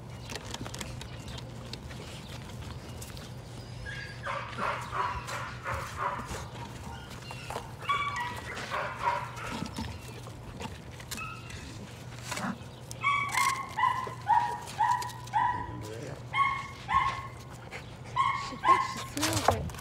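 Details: Patterdale Terrier puppies at evening rat work in their pen, including Cricket, a little black female younger than her littermates; scattered barks build into a fast run of high, sharp yips repeated roughly every second, with a low background hum.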